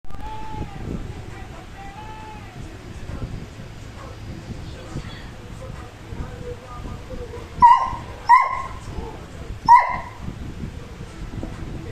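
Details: {'__c': 'Beagle puppy enjoying being petted gives faint, soft whines early on, then three sharp, high yips spaced about a second apart, with quiet human voices in the background.'}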